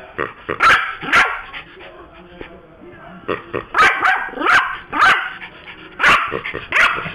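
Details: Indoor pet Yorkshire Terrier losing its temper after its squeaky pig toy is snatched: loud, high, clipped barks in uneven doubles and triples, with snarling in between.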